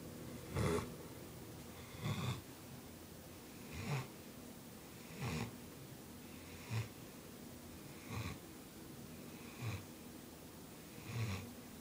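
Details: A Bloodhound puppy snores loudly while asleep, in deep, rasping breaths about a second and a half apart, like a little freight train.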